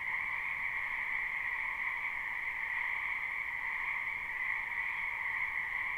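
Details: Wetland frogs in spring, many calling at once in a live recording: overlapping croaks fuse into a level, continuous buzzing chorus on two steady tones, without breaks, voices or other animals.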